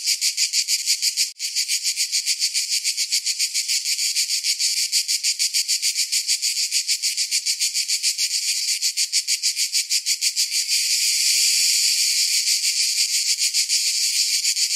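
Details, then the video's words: Cicadas in summer: a rapidly pulsing, shrill rasp that holds its rhythm for about ten seconds, then smooths into a continuous buzz. One sharp click is heard early on. "Summer Cicadas Sound"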